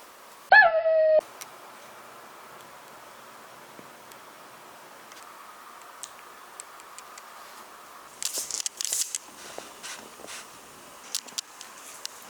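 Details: Shiba Inu twin puppies, a brother and sister, trying on dog yukata; a short, high, quavering whine near the start, followed by quiet stretches with rustling and clattering handling noises.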